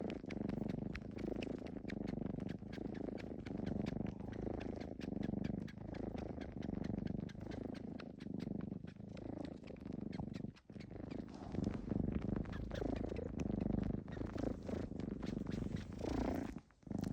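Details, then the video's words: Domestic cat making a loud, real (not sound-effect) suckling-kneading "jjupjjupi" noise: a continuous low rumbling purr, pulsing steadily with brief pauses, close to the microphone. "우렁찬 고양이 쭙쭙이소리"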